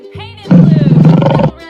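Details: Lion roaring: a deep, pulsing, throaty roar about one second long, with low rumbling beats, set between brief musical notes before and after.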